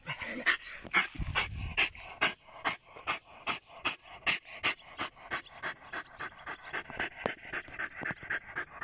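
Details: German Jagdterrier dog in +45°C heat, panting rapidly: short breathy noise bursts repeated about twice per second, steady and loud throughout, with no other clear sounds.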